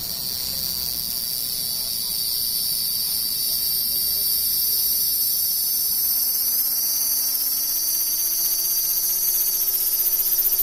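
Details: Cicada song: a dense, steady high-pitched buzzing drone held throughout, with a faint low rising tone from another source in the second half.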